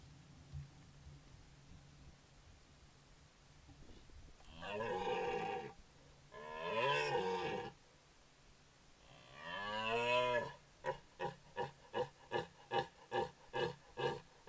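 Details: Male red deer caught roaring by a camera trap in Foreste Casentinesi National Park, Italy: three drawn-out, deep, harmonic bellows, the last the strongest, then a run of about eight short, evenly spaced grunting barks.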